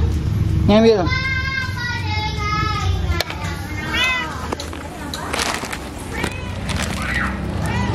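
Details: Mother cat on day 7, arriving at the house alone while her kittens stay hidden; a rising meow near the start, then a long sustained harmonic cry and another arched meow around four seconds, with voices and clatter behind.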